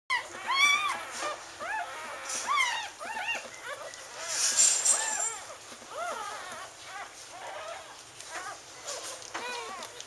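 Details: Litter of Wheaten Terrier puppies born October 18, 2011, with their mother: a continuous chorus of many high squeaky arched squeals overlapping, with a faint voice heard briefly.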